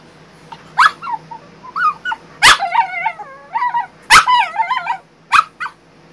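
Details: Ten days post-op from back surgery, Bailey the female French Bulldog complains about her crate: loud yelping barks, each spilling into rising and falling whines that are almost sung, repeated roughly every second or two.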